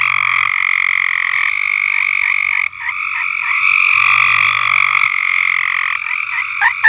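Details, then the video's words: A farm frog chorus of steady, buzzing trills holding on continuously. Two main pitched bands stack over one another, with a brief dip midway and a sharp higher note near the end. "Frogs Singing"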